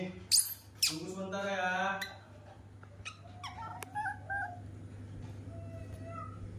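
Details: Baby monkey, adopted from an animal market and hand-raised, throwing a tantrum indoors in a kitchen on seeing milk being prepared: a loud, harmonic wailing cry lasting about a second, then fainter short squeaks amid kitchen clatter and a steady low hum.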